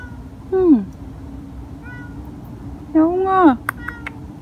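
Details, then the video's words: Stray cat met on the way home from work, crying repeatedly; two drawn-out harmonic meows, the second longer with a rising then falling pitch, over a steady low hum and faint background noise. "애타게 울고 있는 고양이는 왜?ㅣcrying cat l रो रही बिल्ली l قط البكاء"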